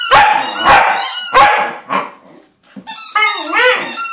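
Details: A male corgi 'sings' with harsh, barking yowls that break into a wavering, rising and falling howl.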